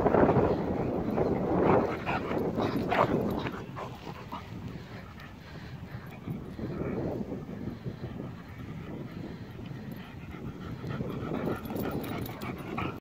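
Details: Two dogs, a British Bulldog and a Cocker Spaniel, play wrestling on a dog walk in Stevenage; rough, rumbling growls and grunts run throughout, strongest in the first few seconds, over a steady traffic hum.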